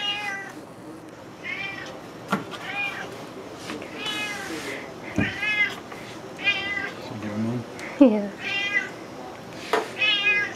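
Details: Juniper the cat, wanting salmon after catching its smell, meows over and over while someone talks nearby; repeated stretched, wavering meows about every second, mixed with a person's voice and sharp knocks from food preparation.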